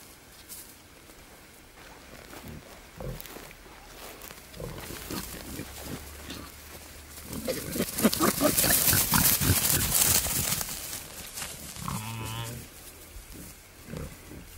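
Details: Wild boar, a male courting a female in the wild, giving a fast run of rough grunts, about two per second, that swell into a loud dense burst midway, then fade to softer grunting.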